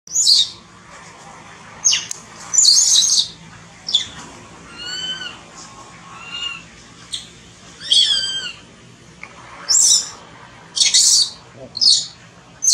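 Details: Baby monkey named Thona, separated from its mother and hungry for milk, crying loudly: harsh, piercing screams alternate with thin, wavering whistled wails that bend up then down, repeating every second or two.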